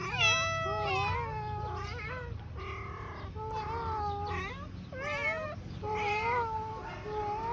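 A Siamese cat gives a run of loud, drawn-out meows with bending, wavering pitch.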